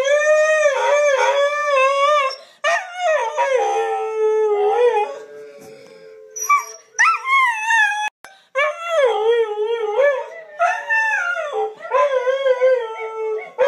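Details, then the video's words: Pet dog Diablo howls with his owner over a webcam, missing her while she is in Missouri, recorded on an iPhone 4s; wavering, quavering howls rise and fall in long phrases with brief breaths between, sometimes overlapping. "Dog and owner howling on webcam"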